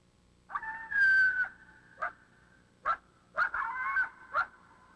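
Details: A coyote's threat bark-howl: a bark followed by several high-pitched, wavering howls, used to threaten an intruder into its territory from about a hundred yards rather than charging in.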